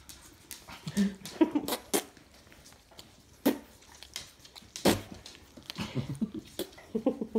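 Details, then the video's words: Labrador Retriever puppies from the Kloster Marienthal kennel explore the house indoors. Brief squeaky yelps and whimpers come in scattered bursts, mixed with sharp clicks and knocks on a hard floor and a little human speech. "Labrador Zucht vom Kloster Marienthal - Jetzt wird das Haus erkundet"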